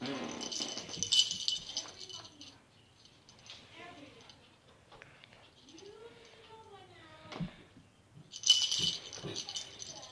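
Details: Cat downstairs indoors making a weird noise: drawn-out, arching moans that rise and fall, a few seconds apart, between loud rattling bursts at the start and end, with a man speaking quietly.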